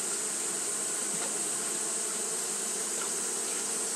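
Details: Steady hum of Japanese honey bees keeping up fanning behaviour in hot weather, an even mass drone with a sharp high hiss over it and a few faint clicks.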